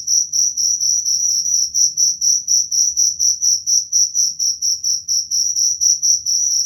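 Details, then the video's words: Cricket chirping in a regular rhythm, roughly three high, ringing pulses per second, each swelling and fading evenly, sustained throughout with a faint low hum behind. "Suara jangkrik"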